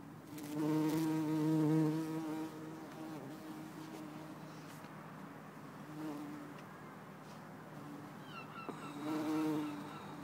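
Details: Bumblebee, Bombus hortorum or Bombus terrestris, Lisbon, 4 December 2011: a deep, rich droning buzz rises for about two seconds, then a quieter lull with faint noise, and the hum swells again briefly near the end.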